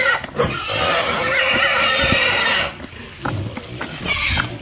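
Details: A pig lets out one long shrill squeal lasting over two seconds, followed by quieter scattered grunts and snuffles.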